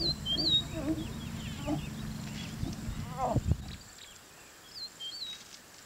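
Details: Mating lions in Kenya's Masai Mara National Reserve: a low, pulsing, throaty growl runs for several seconds, swelling into a brief harsh rising snarl before cutting off into quiet, with birds twittering and whistling in the background.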